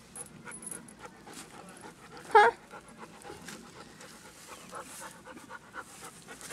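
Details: Six-month-old Dobermann puppy Merlin playing ball in a wooded yard being cleared, a friend throwing the ball; soft, breathy panting runs through the clip, broken once midway by a short, sharp voiced burst.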